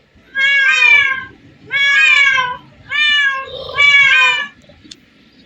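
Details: Four steady, drawn-out meows, each close to a second long, come from cats in a spot crowded with hundreds of them; the last call wavers slightly, over a quiet low background hum.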